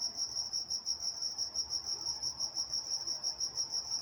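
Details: Steady nocturnal cricket chorus from Walnut, California: piercing high trill throbbing in regular pulses roughly three per second, with a weaker overtone higher up and quiet low-frequency murmur.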